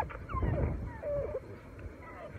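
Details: A Newfoundland puppy, unhappy at not finding his sister and wanting his lunch, gives a thin, wavering howl of falling and held tones while a woman talks nearby.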